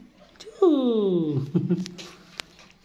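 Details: Persian kitten at a dog and pet house in Dinajpur, Bangladesh, coming up to be petted; one drawn-out descending meow with clear harmonics, followed by soft rustling and a woman speaking Bengali to it.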